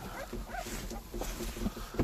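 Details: Puppies seventeen days old give soft, thin whimpers, including a brief higher whine near the middle, against low background rumble and handling noise.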